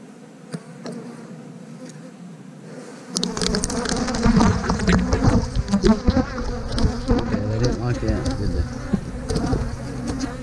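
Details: Honey bees during a hive transfer to an eight-frame box, meant to prevent swarming; a quiet hum swells after three seconds into a loud, dense buzzing mixed with rapid clatter of frames being moved.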